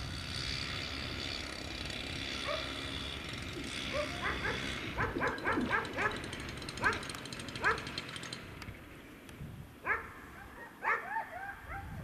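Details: Afghan Hounds at the unofficial Makkarajuoksut race in Tampere, the season finale on 2 October 2016, give rapid bursts of high, excited yips and barks, several in quick succession, over a steady hiss of outdoor background noise.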